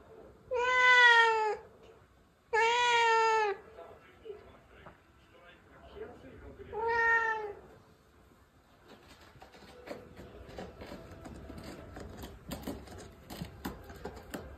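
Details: Pet cat meowing at its owner as if saying something: three long, clear, slightly wavering meows, two close together then a third after a pause, followed by quiet household clicks and rustling.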